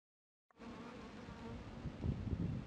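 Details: Worker western honey bee feeding on sugar syrup at a clear feeding plate, licking through gaps in a floating styrofoam board and extending its glossa; a low, rough buzz starts abruptly after half a second and swells toward the end.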